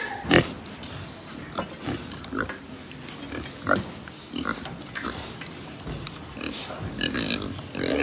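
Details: Herd of pigs in a pig farm in Japan, with irregular loud bursts of harsh squeals and snorts roughly every second or two over a constant low grunting murmur and barn noise.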